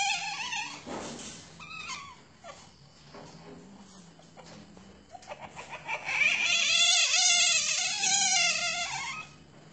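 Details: Asian palm civet held at a breeding farm. A short harmonic call opens the clip, followed by quiet scuffling. The clip ends with a loud, fast run of wavering, chattering harmonic calls repeated several times a second.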